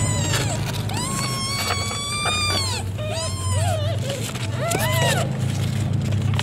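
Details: Domestic cat named Cimoi while giving birth to kittens; about six arching meows in six seconds, each rising then falling, some with wavering tails, over a steady low hum and faint background noise.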